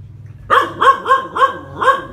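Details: Phu Quoc Ridgeback dog training to catch snakes, five quick barks spaced about a third of a second apart after a brief quiet start, each bark sharp with a slight rising then falling tone.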